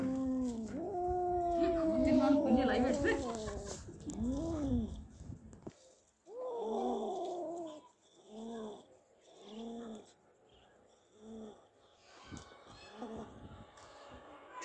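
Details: Two domestic cats after catching a big mouse: after a loud, drawn-out harmonic wail, a series of short arched meow-like calls comes roughly every second, with music and brief speech in the background.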